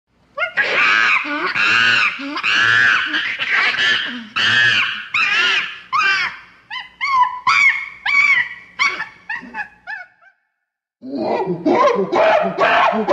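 A chimpanzee gives loud, harsh screams in rapid bursts, rising and falling in pitch.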